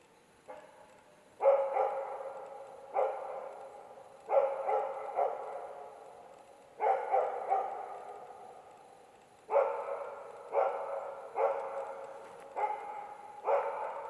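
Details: In autumn, a Karelian Bear Dog bays at two young adult bears with loud, rough barks in irregular bursts and echoing tails; the baying lasted about three hours, over half of it in darkness.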